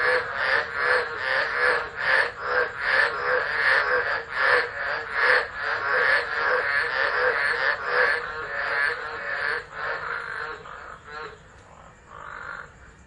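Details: Tropical frogs calling during a tropical storm at Driver, Northern Territory, Australia, on 13 December 2013, recorded on a phone left on the ground: a dense chorus of rapid rasping pulses, repeated steadily, fading near the end.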